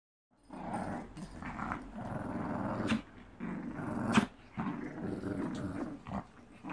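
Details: A Shih Tzu growls in long, rumbling bursts broken by brief pauses and a sharp snap, during socialization training between a mother dog and her puppy.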